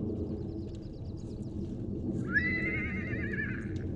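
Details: Wild horse foal separated from his mother at the Salt River in Arizona, recorded with a long-range microphone: a loud, wavering, tremulous whinny starts halfway through and holds for nearly two seconds over a constant low rumble.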